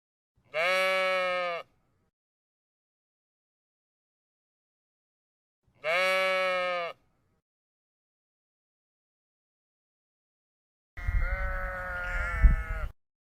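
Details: Sheep giving two clean, steady bleats about five seconds apart, each roughly a second long, then a harsher, louder, quavering bleat with a rough low rumble.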